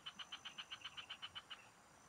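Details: Frogs (palaka) calling in the fields during a fishing outing: a quick string of about twelve evenly spaced, clicking croaks, roughly seven per second, then fading, with a faint steady hiss behind.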